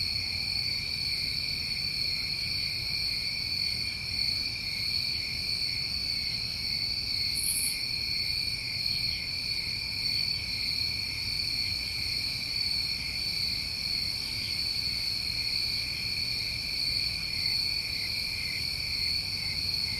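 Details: A New England summertime cricket chorus at night: layered, unvarying high-pitched trilling that never pauses, with one faint brief sizzle partway through and a soft low hum below.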